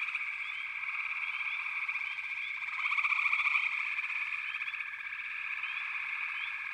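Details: Backwater frog chorus, possibly pig frogs and water frogs among the callers, a constant high-pitched trill of many voices, one rapid pulsing trill standing out briefly near the middle.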